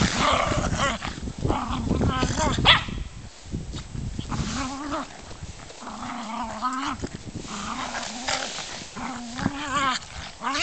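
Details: Playing German Spitz Mittelspitz dogs Adonis and Dazzling Flash Cosmos trade rapid, bending growls and whiny yips, repeated many times over ten seconds, with a few sharper bark-like notes and a human voice talking underneath.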